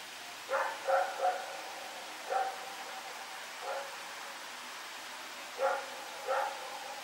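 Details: Rex, a dog running around barking at night on September 21, 2018, gives a bout of barks: a quick cluster of three, two spaced singles, then a closing pair, somewhat distant over background hiss.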